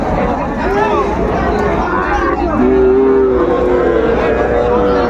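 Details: Sahiwal cattle at a busy livestock market in Magura, Bangladesh, 22 August 2024, with Sahiwal bulls and calves for sale; a few short moos, then a longer flat lowing call, mixed with men talking and bargaining nearby.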